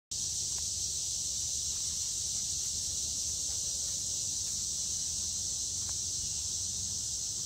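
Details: Cicadas in summer: a continuous, high, hissing buzz holds steady at the same pitch and loudness from start to finish, with no pauses or changes in rhythm and nothing else clearly heard.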